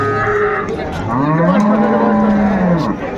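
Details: Cow at a cattle market in Ambari, Dinajpur, Bangladesh, sold among cows and calves, giving a long, low, drawn-out moo that rises and falls, with market background noise.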